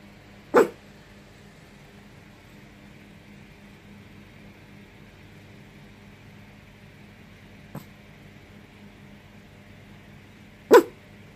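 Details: Indoor pet dog in Yokohama, Japan, cloudy evening, barking after a foot wash on the return home from work: two abrupt single barks about ten seconds apart over steady low room hum, with a faint click between them.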